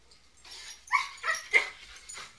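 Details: Wet dogs indoors after coming in from the snow, running through the house and rubbing on the couch. Three short, rising whiny yips come in quick succession, followed by a fainter fourth.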